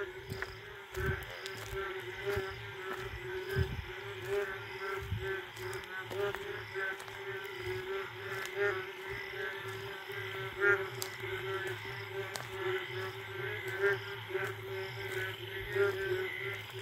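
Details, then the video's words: Indian frogs in a jungle late at night after the first rain, giving mating calls: a dense, steady chorus of pulsed, nasal notes with higher overtones, many callers overlapping, plus scattered clicks and insect-like buzzing. "Sound of Indian Frogs after first rain late night जंगली मेंढकों की आवाज पहली बारिश के बाद"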